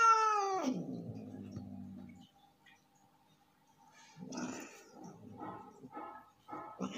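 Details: Male house cat in an angry mood gives a falling harmonic yowl that drops into a low growl, then a pause followed by several short, harsh, breathy hiss-like bursts; a faint steady hum runs underneath.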